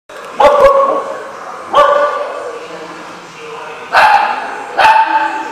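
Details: Dog barking, recorded 26 October 2015: four sharp, harsh barks, two close together early on, then two more after a pause, with faint background voices in between.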